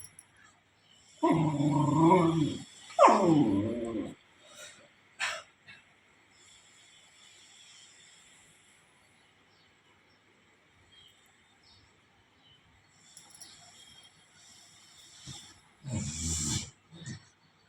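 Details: Beagle puppy Sujata with her mother Manju, voicing two loud, drawn-out harmonic howling bursts early on, then quieter stretches and a last short burst near the end, with a faint steady hum in the background.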